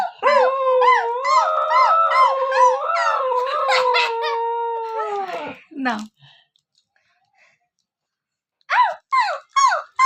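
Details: A female husky, prompted by people imitating her, gives a sustained, tuneful howl of about five seconds that wavers and slides in pitch before fading. After a pause come a few short, rising yelps, with people talking nearby.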